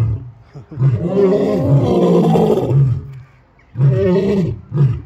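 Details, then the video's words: Roaring lions give a long, heavy roar that fades into a pause, then deep grunting bursts resume in a rough, repeated rhythm. "lions roaring"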